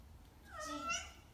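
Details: Kitten named Oiro, indoors, after learning to climb down stairs: one short rising-then-falling meow with clear harmonics, about a second long, over low room hum; a person speaks just after.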